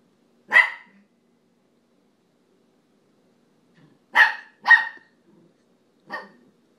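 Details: Playful dog on a couch barks at a second dog that does not react; a single sharp yap, silence, then a close pair of barks and a softer final one.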